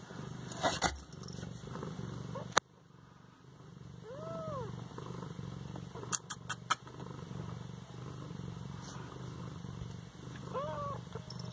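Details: Eighteen-day-old Siamese kitten in Bas-Saint-Laurent purrs softly in the background while giving two high, bending mews several seconds apart; sharp clicks and knocks sound early and midway.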